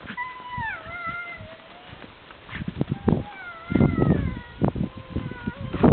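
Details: Yakutian Laika puppies whining: several thin, high whines that slide downward and overlap, some drawn out over a second, with soft rustling and low thumps of movement underneath.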